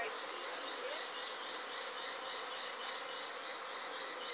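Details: Swarm of honey bees leaving a backyard hive in Sydney, 2012, producing a thick continuous drone, layered with a brighter whining band above, steady in loudness from start to finish.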